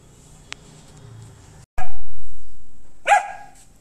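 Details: A female German Shepherd meeting other animals gives a sharp, harmonic bark after a loud thump, over a low background rumble.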